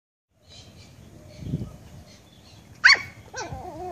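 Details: Pet puppy barking at a fish head indoors: mostly quiet room noise, then one sharp high yapping bark near the end followed by a shorter, softer second yap.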